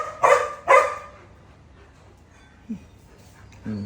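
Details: Dog barking at a cat: two loud barks in quick succession at the start, then a long quiet stretch with a brief faint squeak and a low sound at the end.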